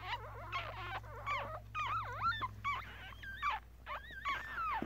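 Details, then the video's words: One-day-old Yorkshire Terrier puppies from a litter of five, filmed with a Galaxy S7; overlapping high wavering squeals that swoop up and down in pitch, several per second, with a faint low hum behind. "Baby Yorkie Puppies Was Just Born.. 아기 요키 강아지가 태어났어요.."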